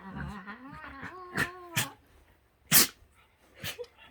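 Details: Shetland Sheepdog lying on its back while being brushed, perhaps with hay fever, indoors: soft whining, wavering tones and quiet voices, then one sharp, loud burst-like sneeze and a softer second burst shortly after.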